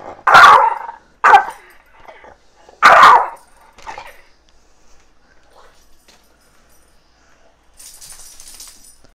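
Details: Chihuahua that has got its head stuck in a bag at home gives three loud, sharp barks in quick succession early on, then a fainter yip, followed by near silence and a soft hiss.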